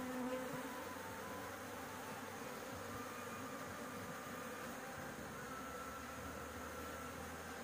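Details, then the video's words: Honey bees swarming at a rooftop nest while honey is taken. A continuous thick buzzing hum holds at an even level from start to finish, with a brief higher whine near the opening. "panen madu lebah, di atap rumah"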